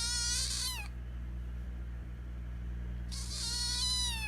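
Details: Hungry young kitten, one of a litter found abandoned at the end of September, crying for food: two drawn-out, harmonic-rich meows that slide downward, separated by a two-second pause, over a low steady hum.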